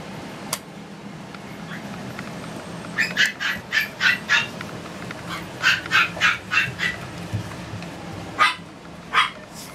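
A Toy Poodle puppy gives quick bouts of high, sharp yaps, several each second, separated by short pauses.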